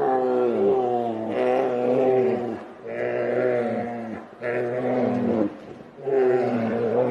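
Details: Two grizzly bears fighting: deep, harsh, harmonic roaring growls in long rough bursts about two seconds each, separated by brief pauses, with pitch sliding slightly up and down through each snarl.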